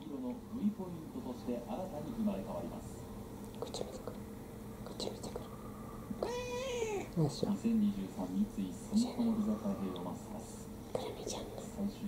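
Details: Kurumi, a roughly four-year-old brown tabby mixed-breed house cat, being clingy and affectionate indoors; one drawn-out meow mid-clip that swells and then falls in pitch, with soft human talking before and after.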